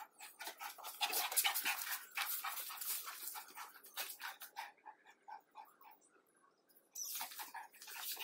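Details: Rottweiler panting during play, quick rhythmic breathy huffs about two per second that fade, stop briefly, then resume strongly.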